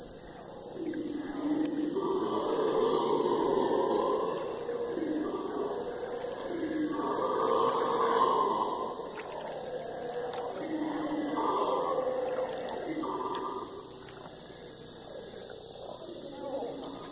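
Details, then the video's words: Howler monkeys howling at nightfall in the Amazon forest: deep, roaring surges overlap, swelling and fading in waves through the whole stretch, set against a steady high whine of insects. "Sounds of the forest: Howler Monkey, the scary nightfall of the Amazon among howler monkeys"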